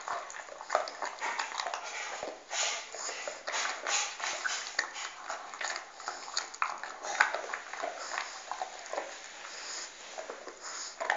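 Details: A dog eating a bone, crunching it continuously with rapid, gritty cracks and smacking bites in uneven clusters over several seconds, no other clear sounds.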